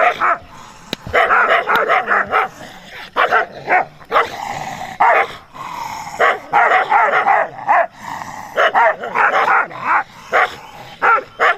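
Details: Dog running and barking at a stranger in Pakistan: loud, harsh barks in rapid bursts of three to six, repeated throughout with short pauses between bursts.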